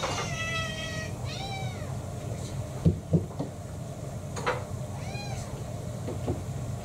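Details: Pet cats at home during mealtime, from a household of six mixed-breed cats including Kurumi, a roughly five-year-old female tabby: several clear harmonic meows, the first long and level, then arched rising-falling ones, over a steady low hum with a few knocks.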